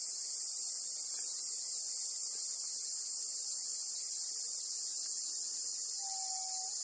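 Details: Continuous high, shrill cicada drone from a black cicada seized by a golden-web spider on Amami Oshima, Japan; the buzz never pauses, and a brief thin whistled tone appears near the end.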